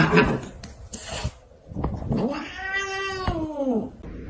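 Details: Domestic cat giving one drawn-out, tonal meow that rises slightly and then slides downward over about a second and a half, after a few short knocks and rustles indoors.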